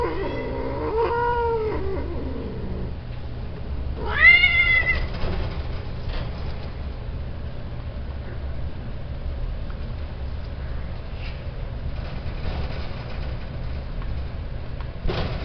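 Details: Male domestic cats kept for mating, giving several drawn-out, wavering meows in the first five seconds. A low steady hum continues through the rest, with faint scattered knocks.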